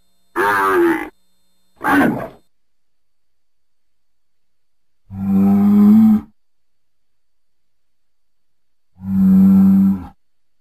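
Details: Bull, a domesticated Bos taurus, giving four bellows: two short rough higher calls close together, then two long deep droning moos about four seconds apart, silence between.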